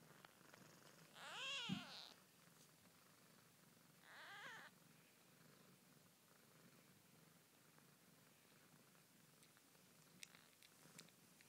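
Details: Siamese kittens only a day old, York, UK, born 20 February 2010: two high squeaky mews early on, the first sharply rising then falling, then faint rustling and a soft low murmur for the rest.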